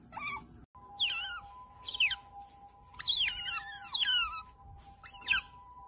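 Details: Pet otter making cute pamper noises while being pampered: a series of shrill, chirping squeaks that sweep downward, coming in uneven bursts about once a second over a steady electronic hum.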